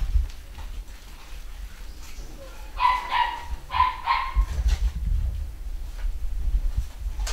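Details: Pedigree Basset Hound puppy from a home-bred litter, recently vet-checked and vaccinated; two short, clear, tonal whining yelps a second apart mid-clip, with low rumbling handling noise and faint background sounds.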